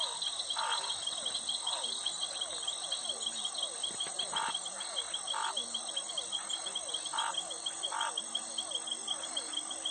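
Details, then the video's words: Night chorus in which scattered frog croaks, short and mid-pitched, come every second or two, while a constant high insect trill and cricket chirping fill the background throughout. "sound effect suara katak"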